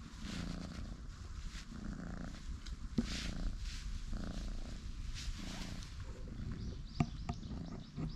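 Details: Pair of light and dark orange tabby cat brothers relaxing and stretching on a bench; a low, rumbling purr pulses in steady cycles about once a second, with a soft outdoor background and a couple of faint clicks.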